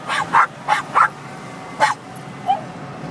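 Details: ['Cairn Terriers in a car on the highway, barking at a passing semi truck; four quick yaps, a pause, one more bark, then quieter road hum as the barking stops.']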